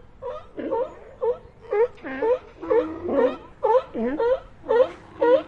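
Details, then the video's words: Sea lions calling in a rapid series of harmonic, wavering barks, roughly two per second, each a short rising-falling bleat with rich overtones, carrying steadily through the whole stretch. "Ambient Sea Lions"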